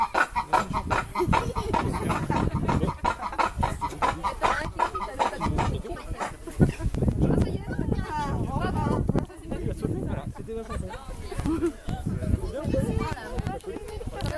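Lemurs call in a dense, overlapping chorus of harsh, clucking and wailing notes.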